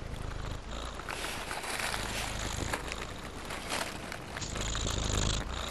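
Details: An affectionate domestic cat, held in its owner's arms and feeling safe, purrs as a steady low rumbling throb with soft rustling and handling noise throughout.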